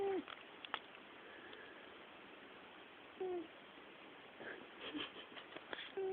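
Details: Thomas, a domestic cat, snoring while asleep: short, low, tonal snorts with a slight downward slur, repeating roughly every three seconds with a soft breathy hiss between them, and faint rustling in a quiet room.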